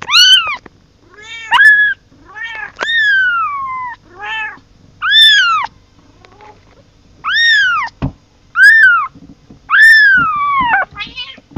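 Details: Repeated meowing of a kitten crying for its mother: loud, bright calls that rise then fall, several long and sliding downward, packed closely over the stretch with few pauses.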